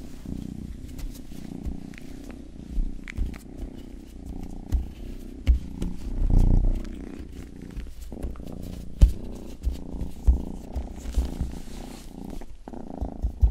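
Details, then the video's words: Rangi, a youngest house cat, purrs softly in an ASMR session, the low continuous rumble broken by thumping handling bumps and a louder swell around six seconds, with occasional clicky licking noises. "ASMR 하는 고양이!(Purring & ear licking sound)"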